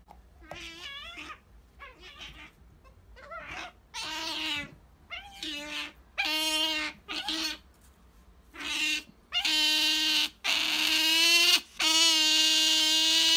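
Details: Female pet otter Sakura pleading for jerky at home, giving a run of piercing, strongly harmonic squeals that start as short, softer chirps and build into louder, longer, steady wails toward the end.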